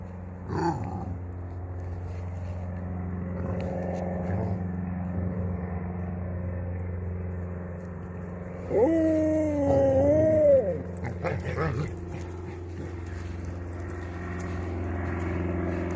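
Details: Ollie the Basset Hound, at play with a ball, gives a drawn-out, wavering, tonal whine of about two seconds midway, over a constant low engine-like hum and faint scraping.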